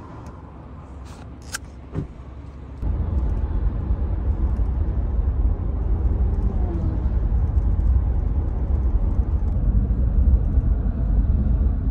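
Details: A few sharp knocks, then a steady low rumbling noise, like wind or traffic, with no clear animal voice.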